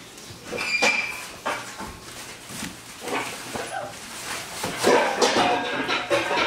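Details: Six-week-old Wirehaired Pointing Griffon puppies from a 2019 litter of three males and five females, playing indoors at Bluestem Kennels; brief high whining yelps rise over thumps, scrabbling and household clatter.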